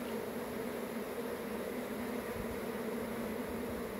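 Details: Honey bees swarming, their massed wings making an unbroken, even buzzing drone with no pauses or change in pitch.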